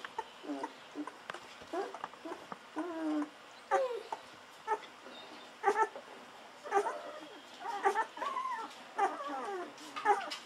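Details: Golden Retriever puppies at 11 to 13 days old, from Aiko of Haarby and Lady Dina, keep up a run of squeaky wavering whimpers and yips, roughly one per second, some with rising-falling whines, indoors.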